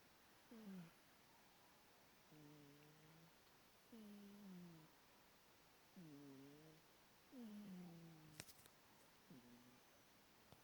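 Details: Pet cat snoring while asleep indoors: soft tonal breaths with harmonic overtones, alternating a short falling note with a level one, about every one and a half seconds, with a faint click near the end.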